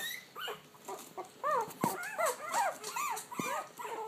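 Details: Puppies vocalising together, each cry a clear bowed whimper rising then falling, repeated nearly three times a second with a faint click or knock between calls.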